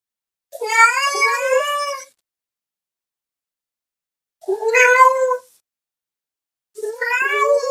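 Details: Domestic cat meowing to call another cat: three loud, drawn-out, wavering meows, the first about one and a half seconds long, the next two shorter, separated by silence.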